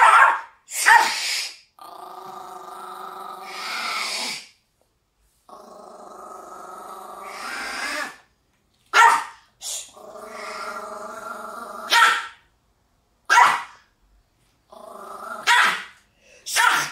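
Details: Maltese dog, fierce-looking but inwardly fearful, acting especially aggressive while held by its owner: long harmonic growls lasting two to three seconds, broken by sharp, high barks and snaps, in bursts across the recording.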